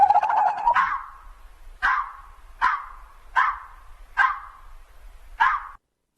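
A fox gives a series of six short, hoarse barks, spaced about two-thirds of a second apart, after a brief spoken word at the start.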